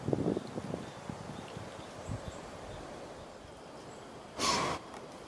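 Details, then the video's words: A white-tailed deer snorts at the person filming: a single sharp, breathy blast of air near the end, after soft low thumps and rustling. "White-tailed Deer snorted at me!"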